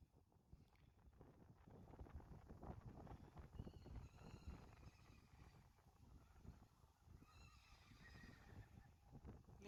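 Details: Friesian horse foals, born in February and March 2019, playing in water with their herd; a quavering neigh rises through the splashing near four seconds and again around seven to eight seconds, over constant low rumbling and sloshing water.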